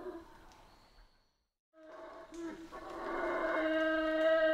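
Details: Howler monkeys in Central American rainforest: a brief howl, a short silence, then rough, rising roaring howls that swell louder toward the end.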